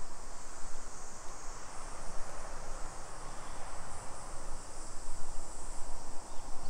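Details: Summer cicadas in a suburban neighborhood of Nisshin, near Nagoya, Aichi Prefecture, Japan, at 2 PM on 28 July 2021; a steady, high, hissing drone runs unbroken throughout, beneath heavy low rumbling from walking and wind.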